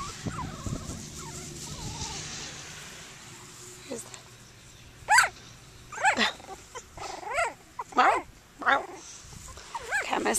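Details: Seven Cockapoo puppies at play outside. A woman talks at first, then short, sharp whining yips come in bursts roughly every second, each falling in pitch, amid soft rustling.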